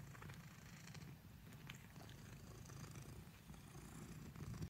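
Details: Domestic black cat kneading and purring, a dense low throbbing rumble that holds steady and swells slightly toward the end.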